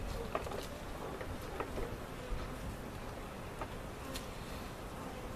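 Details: A cutout honey bee colony relocated at Jerome Bee Farm, Central Oklahoma; a quiet, steady buzzing hum with a few light clicks and taps from nearby work.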